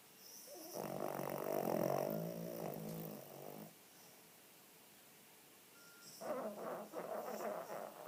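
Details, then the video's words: Female Cavalier King Charles Spaniel, a greedy, playful 9 kg pet said to be a bit overweight, snoring heavily while sleeping with eyes open: a long rattling snore of about three seconds, then silence, then a second snore starting. "Mon chien ronfle les yeux ouvert"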